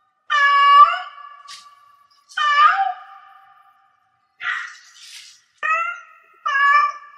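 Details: Cat in heat uttering five meows of varied length, a long drawn wail first, then shorter, sharper calls, one softer and breathier, separated by brief quiet gaps.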